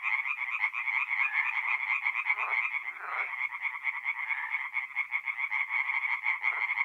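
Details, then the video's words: Tree frogs singing at night in a forest pond in mid-April, north-east Italy: a dense, continuous chorus of rapid nasal croaks, overlapping callers keeping a steady rattling drone with no gaps. "relaxing forest pond by night with singing tree frogs"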